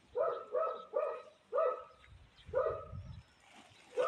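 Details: Tiny grey cat, noted as a stray, mewing repeatedly in short similar calls about once a second, with a low rumble in the middle and a faint high whistle.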